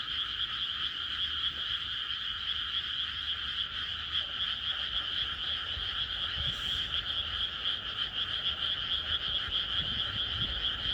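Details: Frogs calling on a peaceful night in the countryside. Many voices merge into a dense, shrill, continuous chorus with a softer lower hum beneath it and no other clear sounds.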